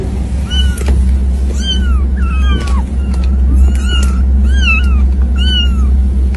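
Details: Domestic cat meowing over and over, about eight short bright calls in six seconds, each bending up then sliding down, some overlapping in quick pairs, all over a steady low electrical hum.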